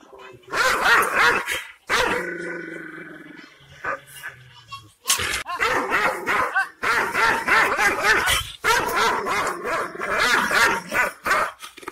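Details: Wild, aggressive Kangal shepherd dog, Aksaray Malaklı type, barking fast and repeatedly in dense volleys, roughly three barks a second, with a droning tone and human voices in between.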